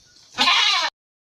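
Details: Little goat kid described as sleeping in the sunshine gives a single short, bright, nasal bleat about half a second long that cuts off abruptly, after a soft hissy lead-in.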